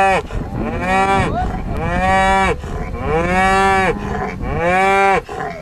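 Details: Farm bull on the Welsh Borders mooing repeatedly: four long, harmonic bellows, each bending down at the start then holding steady, coming about every one and a half seconds with barely a pause.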